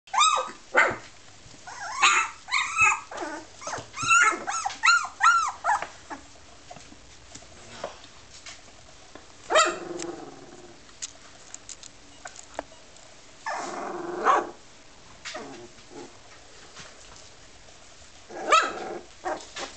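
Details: Labrador Retriever puppies, 17 days old, playing and learning to bark; thin high yelps and squeaky barks, clustered rapidly in the first seconds, then scattered single yips and a few longer whines among quiet gaps.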